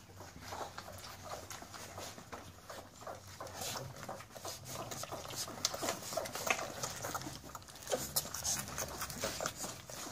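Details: American Staffordshire Terrier puppies feeding, a pure-breed litter: a dense run of quick irregular clicking and smacking eating noises, several per second, with faint voices now and then in the background.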